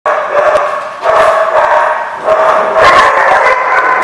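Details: Dogs at The Barking Lot on 11/10/14, a steady chorus of overlapping harmonic barks and yips in bursts, loud and continuous with brief dips around one and two seconds.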